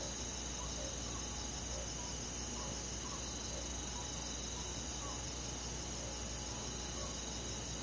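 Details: Night forest crickets in summer, rural setting, producing an unbroken high-pitched chorus of sustained trills, with gentler rhythmic chirps recurring at mid pitch and a continuous low rushing noise underneath.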